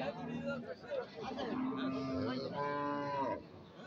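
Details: Cattle at the Aricha cattle market, with cows, bulls and young calves on sale; a drawn-out harmonic moo dominates the middle and end, with crowd voices and market noise behind.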